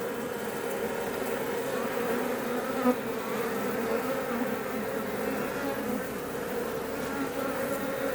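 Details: Many Iberian honey bees at a Langstroth hive west of Roquetes in south Tarragona, Catalonia, Spain, building comb wherever they choose; continuous even droning hum, thick and unbroken, one brief click near the middle.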